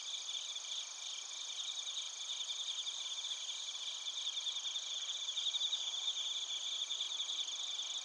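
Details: Crickets, including bell crickets, calling together in Narita, Chiba, Japan, captured on a TASCAM Portacapture X8. A continuous shimmering high-pitched chorus with rapid pulsed trills layered in several bands, fairly soft and even throughout.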